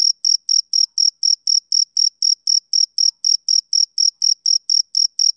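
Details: A male cricket calls on a summer evening in sharp, shrill pulses, about twenty in five seconds, evenly timed and clear, with no other animals or noise.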